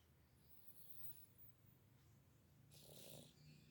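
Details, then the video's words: Sleeping domestic cat snoring: a soft, low, rumbling pulse repeats rapidly and steadily, with faint hissy noise and brief higher rustles near the end. "Kucing tidur Ngorok sambil menikmati mimpi"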